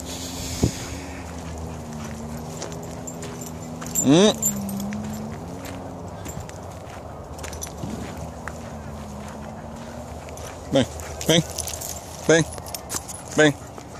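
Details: Harley, a Bull Terrier, searching for a squirrel in the woods. One long rising whine, then short whimpering bursts near the end. A man calls to the dog in Spanish throughout.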